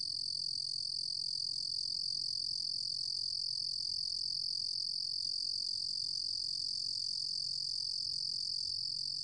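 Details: Continuous shrill trill of a Ruru-gom cricket (루루곰귀뚜라미), recorded in 2020 by Korea's National Institute of Biological Resources, ringing unbroken at a high, even pitch throughout with a faint low hum beneath.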